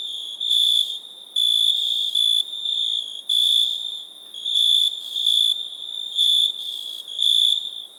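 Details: ['Insistent cricket song made of bright, piercing trilled bursts. Some bursts are short and some stretch to nearly a second, broken by brief quieter gaps, all above a faint constant hiss.']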